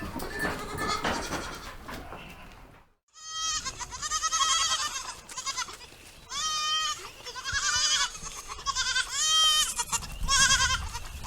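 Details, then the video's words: Baby goats bleating: after a noisy opening and a brief silence come a run of high, quavering, tremulous bleats, several in close succession and some overlapping, each lasting about a second. "Baby goat sounds | Goat bah sound"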